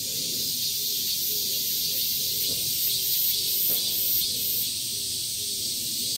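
Cicadas fill the air with a steady, high-pitched electric buzz that barely wavers.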